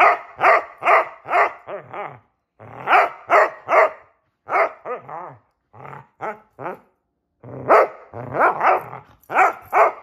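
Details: Two Basset Hounds playing hide and seek, barking in bursts of deep, harmonic bays, often three or four in quick succession with short pauses between runs, loud and close.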